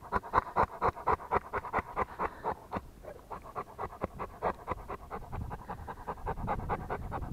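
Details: Rottweiler panting. The rhythmic, airy breaths come about two per second and are loud at first, then ease and soften toward the end over low background noise.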